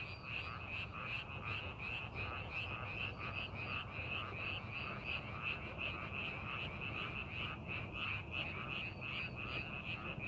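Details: Chorus of frogs in a rice paddy readied for the farming season, set in a scenic landscape: many overlapping croaks pulse quickly and continuously, with occasional higher chirps above and a low background rumble throughout.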